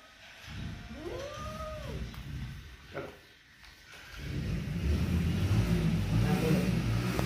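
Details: Angry mother cat and kitten: a single arched, wavering meow with bright overtones lasting about a second, a sharp tap after it, then loud engine or traffic rumble filling the rest.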